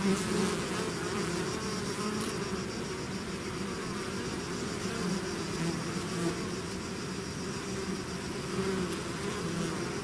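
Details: Natural buzzing of a bee swarm out of its hive: constant layered humming, low and even, with faint higher overtones and no breaks.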